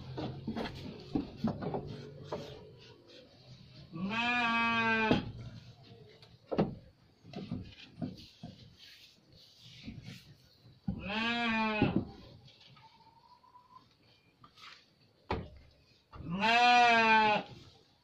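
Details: Garut sheep bleating three times, each a strong quavering bleat about a second long, spaced roughly six seconds apart, with clicks and knocking between.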